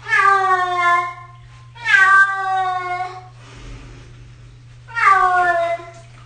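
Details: Six-year-old domestic cat during its first bath, indoors in a small room: three long, loud, harmonic meows, each about a second, falling then wavering, separated by quiet gaps with faint splashing and a steady low hum.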